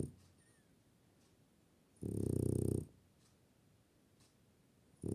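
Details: French Bulldog snore indoors: a single loud, low, rasping snore lasting nearly a second amid quiet breathing, with the start of another at the end.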